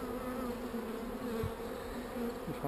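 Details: Calm honey bees droning around an opened hive as a beekeeper works queen cells. A smooth, continuous low hum holds steady throughout with little else besides quiet handling noise.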